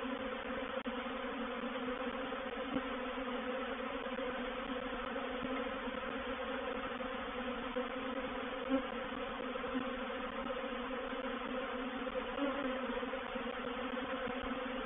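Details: Reproductive swarm of honey bees moving into a bait hive, or swarm trap, at Painted Peacock Manor on 04/07/21. A dense, steady, low droning hum with layered overtones runs throughout, with a few faint clicks.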